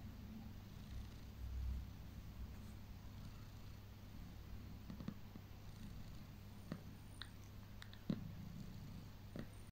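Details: Contented purring from Heliana the cat during ear rubs: a continuous low rumble held at an even level, with scattered light clicks and touches heard above it in a quiet room.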